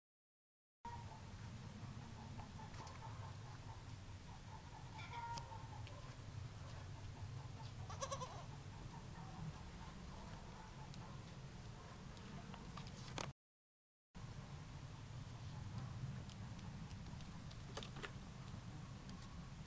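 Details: A 24-hour-old goat kid, recorded 11 January 2012 in woodland at Jesolo near Venice, gives short, thin bleats over a steady low rumble of wind or handling noise.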